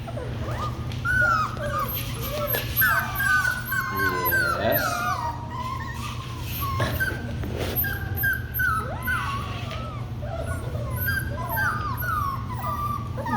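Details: A litter of puppies keeps up a steady chorus of shrill, quavering whines and squeaky yips that rise and fall in short overlapping bursts, with occasional quiet human speech behind.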